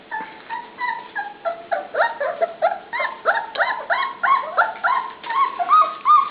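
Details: Litter of pups in a pen at dinnertime whining almost nonstop: rapid overlapping high yelps and squeaky rising-falling cries, roughly three per second, building in loudness toward the end.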